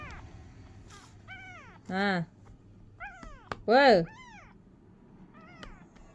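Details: Kitten trying to walk gives a run of about six high, arching meows, each a short rise and fall. Two near the middle ring out much louder and fuller. Soft background hiss between calls.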